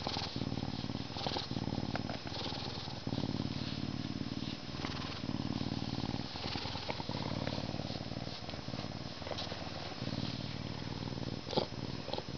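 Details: A male Canada lynx, born at a zoo in May 2011 and humanized but not domesticated, purrs steadily while being scratched before his meal, a deep rumbling throb pulsing about three times a second.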